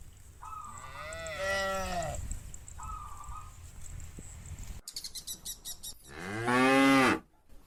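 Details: Large herd of cows led by a shepherd toward green fields: moderate moos early, a burst of clattering clicks, then one loud, prolonged moo close by.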